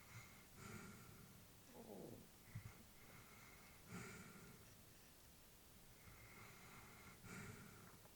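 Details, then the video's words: Elderly female Labrador Retriever asleep, breathing softly: airy, noisy breaths about every one to three seconds, with a brief snort-like rasp near the two-second mark and quiet background between breaths. "Elderly dog sleeping with breathing sounds"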